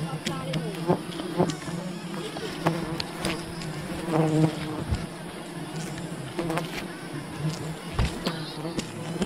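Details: Honey hunting at a wild bee colony, with a dense, even hum of many bees and frequent sharp taps and cracks from handling and cutting.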